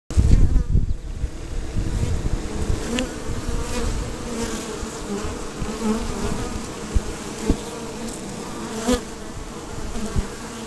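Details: Colony of honey bees around a hive box at an organic family farm in Markham, Ontario, visited while strawberry picking; a steady droning hum runs throughout over a heavy low rumble of wing wind, with a few sharp clicks and knocks.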